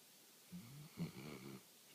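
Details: Bruno the dog snoring in his sleep minutes after falling asleep: a low, rumbling, two-part breath lasting about a second, with a buzzy vibrating texture, in a quiet indoor room.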